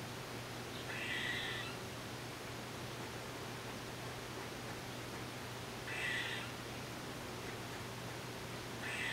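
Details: An eastern gray squirrel (Sciurus carolinensis) gives short, nasal, mewing calls about every five seconds over a steady low hum.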